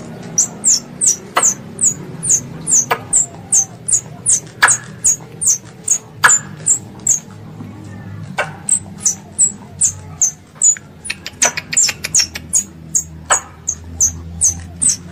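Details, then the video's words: Pest squirrel calling its mother with a long, steady series of piercing high chips, roughly two to three each second, each dropping slightly in pitch, punctuated by occasional sharp clicks over a faint low hum. "THE SOUND OF A SQUIRREL CALLING ITS MOTHER"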